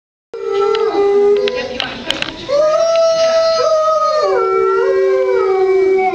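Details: Wolves at Merle Hay Mall howling together: several long, smooth, overlapping tones that hold steady, then slide up and down, with one voice dropping in pitch near the end; a brief scrape of noise midway.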